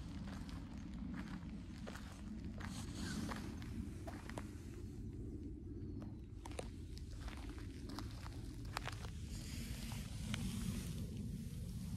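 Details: Footsteps crunch steadily outdoors over a constant low rumble, with scattered sharp clicks and no animal calls.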